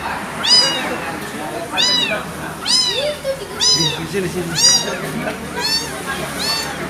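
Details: Crying of an abandoned kitten, a run of shrill, rising-then-falling meows repeated roughly every second with rich overtones, loud and insistent, against a low droning hum.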